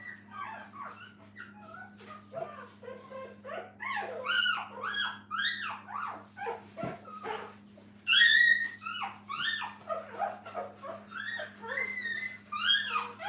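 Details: A litter of puppies with their mother at a dog training kennel whine and yip nearly nonstop, with short arching squeals crowding together and a louder, piercing burst around the eighth second; low mains hum underneath.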